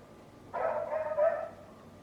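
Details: A neighbour's loud dog gives one drawn-out bark lasting about a second, with a harsh, slightly wavering tone and a faint outdoor background.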